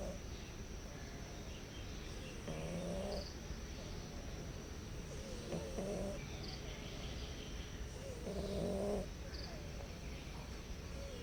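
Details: Hungry stray cats meowing softly at a house while seeking food and a safe place. Three short, gentle meows, each under a second long, come a few seconds apart over a steady background hiss.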